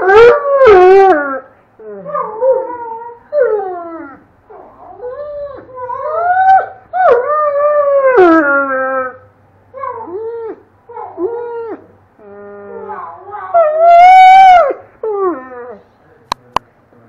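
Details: Doberman named Red howling along with a child. Drawn-out, sliding howls alternate with brief whiny yelps and short gaps. A louder rising howl comes near the end, followed by two sharp clicks.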